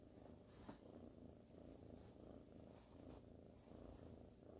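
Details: Steady deep purring from Sir Salmon, a sleepy ginger tabby kitten cuddling in 2019. A few faint clicks rise above the low, regular rumble.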